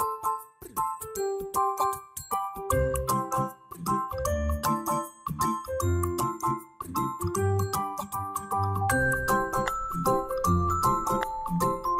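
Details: Bright children's music with glockenspiel-like chimes and bouncing mallet notes, no animal voice present.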